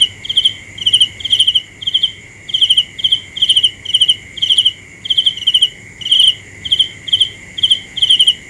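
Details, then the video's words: Cricket chirping steadily: short pulsed, high-pitched chirps repeated about twice a second, roughly fifteen in all, over a constant thin whine of other insects. "The best sounds of Cricket 《 Suab Kab Ciliv Quaj Zoo Heev》 ( ສຽງແມງຈີ່ນາຍຮ້ອງດີໆ )"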